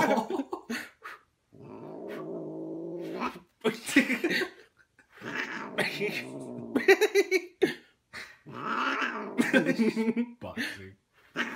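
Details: A pet cat yowls in long drawn-out wails and growling caterwauls, several sustained cries broken by short gaps, with people talking and laughing around it.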